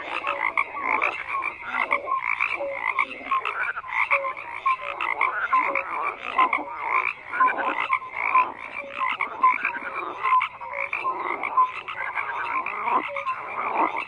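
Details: Continuous frog chorus with harsh, grating croaks layered over one another. Short whistle-like notes recur every second or two, and the loudness rises and dips rhythmically.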